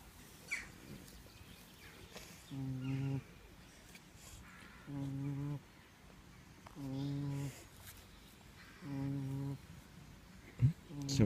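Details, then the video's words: Snoring pig giving five short, low, humming drones in a regular breathing rhythm, roughly one every two seconds, separated by quiet gaps with faint outdoor noise and a brief click near the end. "Pig snoring"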